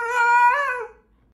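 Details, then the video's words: Husky howling once, a short wavering note that swells, bends slightly downward and then fades out. "Husky song compilation"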